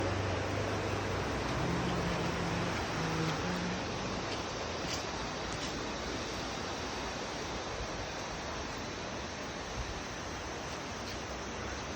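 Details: A steady broadband roar like wind or rushing water, with a brief low hum early on.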